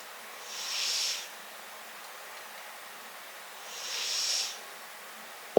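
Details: Riki-chan, a brown tabby-and-white cat, snoring up close: two soft, breathy hissing breaths about three seconds apart over quiet room noise, a small click at the very end.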